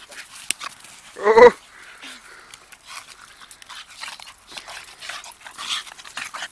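A Staffordshire Bull Terrier gives a single short, sharp bark against a quiet room.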